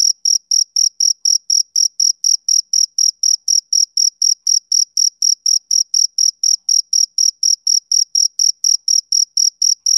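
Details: Male cricket on a summer evening, chirping in a relentless, metronome-like rhythm of about four sharp, high, ringing pulses each second; nothing else audible.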